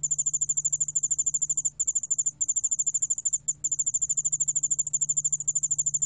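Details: A 2020 National Institute of Biological Resources recording of the yeoul allak ground cricket: a fast, high-pitched pulsing trill running almost without a break, with a faint lower-pitched pulse layer and a steady low hum underneath.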